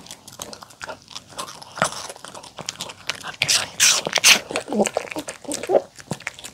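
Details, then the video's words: Mongi the poodle eating homemade chicken tenders with a salad of apple, carrot and cabbage, dressed with sweet pumpkin, egg and olive oil; sharp crunchy bites and chewing come in uneven bursts, with a voice in the background. "푸들 몽이 강아지 먹방 치킨텐더 샐러드 DOG ASMR MUKBANG eating show"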